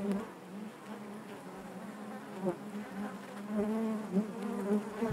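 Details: Many honey bees droning within their hive, a soft, even hum with slightly wavering pitch and small pulses of louder buzzing toward the end, plus faint ticks.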